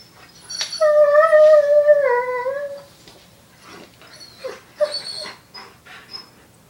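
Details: A foster puppy bonding with an older dog indoors gives a drawn-out, high whining whimper lasting about two seconds, its tone wavering and dipping at the end, followed by a few softer, shorter whines in a quiet room.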